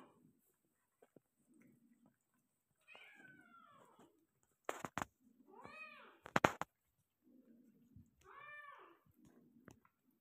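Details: Persian cat delivering a litter of five kittens, uttering several short, arched meows. Sharp clicking and knocking noises and soft low rustles are scattered through the quiet room around the calls.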